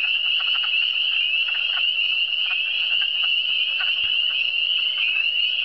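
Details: Many frogs in the Eastern Townships trill together in a constant high, buzzing drone, with short lower croaking pulses repeating irregularly beneath it.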